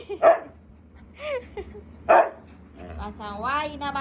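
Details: Siberian husky kept as a pet, angry when denied treats, gives two sharp barks about two seconds apart, with a person's chatter and a wavering harmonic voice between them.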